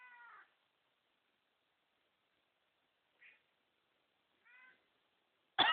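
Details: Pet cat Jasper answers its owner's coughing with meows: three short, separate meows, the middle one brief and clipped, then a sudden sharp cough at the end.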